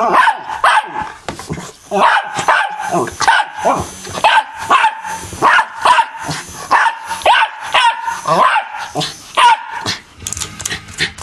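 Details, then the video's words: Pet dog indoors barking at and attacking an M&M fan: a rapid run of sharp, loud barks and yips, about one per second across the whole stretch, with a person's voice mixed in. "Barking Dog"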